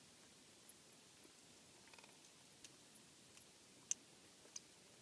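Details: Bats in a house attic, heard during an inspection for noise, giving a rapid series of sharp, very high clicks and ticks, irregularly spaced over a faint steady hiss.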